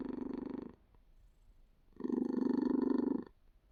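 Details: Cat's low, throbbing purr, a short loud pulse at first, then a pause with only a faint murmur, followed by a longer, stronger rumbling surge.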